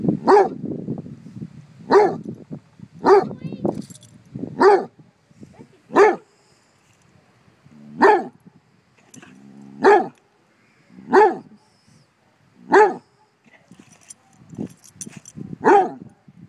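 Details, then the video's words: Basset Hounds bark at a bumble bee in a steady series of deep, loud barks roughly every one to two seconds, with a voice heard briefly between them. "Basset hounds vs bumble bee"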